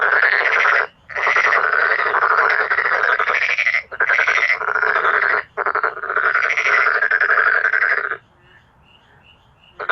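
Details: Loud chorus of male black-spotted pond frogs, the most powerful of frog voices; long pulsed rattling croaks run for seconds with brief gaps, then fade to faint background calls near the end.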